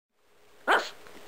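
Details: Papillon puppy about five months old, a fierce little dog barking to scare away the camera he hated; one sharp, loud bark bursts out near the middle, preceded by quiet room hiss and followed by a fading tail.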